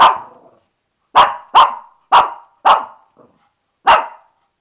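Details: Shih Tzu named Lani, mad at facing a bath and stuck in the tub, gives a run of sharp mid-pitched barks: one fading bark, a pause, four quick barks in a row, then a final bark after a short gap.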